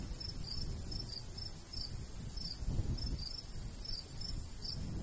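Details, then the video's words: High, thin cricket chirps come in paired bursts across a summer wheat-field countryside, irregularly spaced, while a soft breeze rumbles low throughout. "Countryside/cricket sounds"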